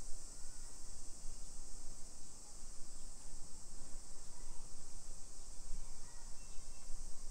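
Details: Continuous high, shimmering drone of summer cicadas in suburban Nisshin, Aichi Prefecture, Japan, 1 PM on 28 July 2021, heard while strolling residential streets; a muffled low rumble of movement and outdoor noise runs underneath.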